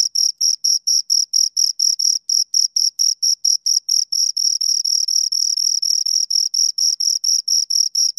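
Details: Two crickets chirping in shrill, rhythmic pulses; midway the chirps run closer together and nearly merge into a continuous trill before separating again, with no other sounds.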